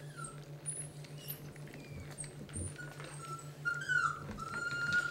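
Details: Eighteen-day-old Basset Hound puppies from a litter of 11 at their first feeding of a transition food mix: scattered thin high squeaks, then a clearer whining squeal near the end, over steady low hum.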